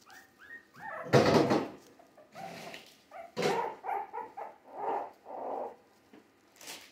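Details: Three-week-old Jack Russell Terrier mix puppies, born in December 2020, give a run of short harmonic yips and whimpers, with one loud rough bark-like burst near the start and several smaller squeals following in quick succession indoors.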